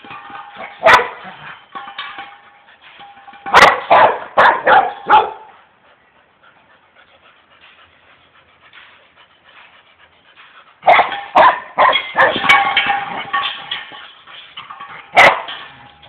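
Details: Two-year-old female Rottweiler playing with an empty gas cylinder; bursts of barking and clanging metal knocks around one second, four to five seconds and eleven to thirteen seconds, with a quiet stretch between.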